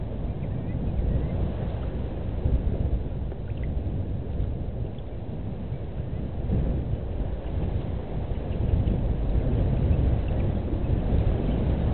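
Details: Steady, heavy low rumble of wind on the microphone at a waterhole in Djuma Game Reserve, South Africa, with no clear animal calls.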